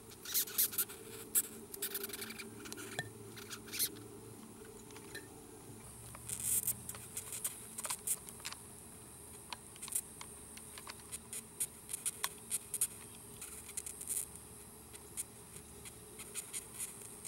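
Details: Giant red velvet ant, a wingless wasp known as the cow killer, handled close up before being set free; rapid broadband scratchy squeaking pulses come in irregular bursts, dense at first then scattered, with handling rustle.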